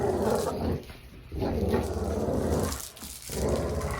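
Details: Dog growling while playing: long, rough, low rumbling growls in bursts of about a second, separated by brief pauses, with a steady low hum underneath, indoors.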